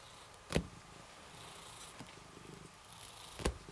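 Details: Cat in shelter isolation purring under stroking, a soft steady low throb broken by two sharp clicks and light handling noise.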